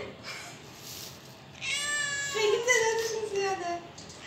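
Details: Domestic cat from a funny cat compilation giving one long, drawn-out meow of about two seconds, rich in harmonics, wavering in pitch and then sliding downward as it fades, after a quieter stretch of faint background sounds.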